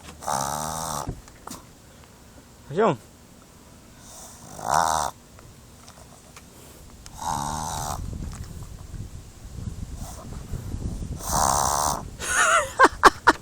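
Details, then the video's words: Male pet pug making funny noises with his nose: several harsh, wheezy snorting bursts roughly every three seconds, breathy and rasping, with a brief squeaky note between them and quiet room noise. "Pug Makes Funny Nose Noises"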